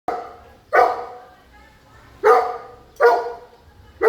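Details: A big dog barking: four deep, harsh barks in just over four seconds, irregularly spaced with quiet pauses between them.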